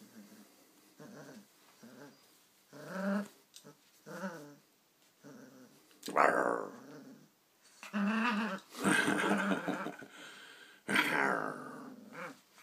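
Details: Playful growls from an Irish Terrier puppy in a tug-of-war training game inside a small room, starting as short rumbling bursts and building into louder, harsher rasping snarls, with a person's voice faintly mixed in.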